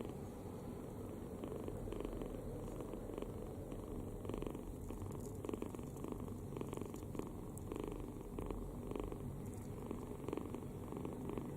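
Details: Kitten snoring while sleeping deeply with its mouth open, fully relaxed; a steady low rasping rumble with soft breathy bursts recurring roughly every half second to second, indoors and otherwise quiet.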